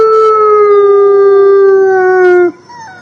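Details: Wolf howling: one long, smooth, mid-pitched tone with rich harmonics, sliding slowly downward for about two and a half seconds before breaking off abruptly, leaving faint background hiss.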